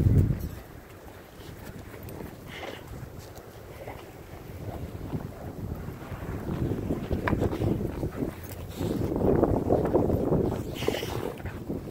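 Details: Steady wind buffeting the microphone outdoors, with low rumbling that swells toward the end and no clear animal voice.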